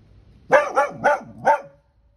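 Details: A Border Collie reacting to a pelican lets out a quick burst of four sharp barks in little more than a second, then falls silent.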